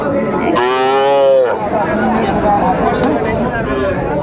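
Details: Sahiwal bull calf at the Aftabganj cattle market in Dinajpur, Bangladesh, on 1 July: one drawn-out nasal moo lasting about a second, with buyers and sellers talking and market chatter all around.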